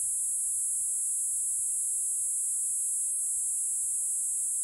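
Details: A Kuroiwa cicada (Platypleura kuroiwae), a small cicada of about 2 cm in Okinawa, sings a loud, steady, high-pitched, unbroken buzzing drone, calling even in the rain.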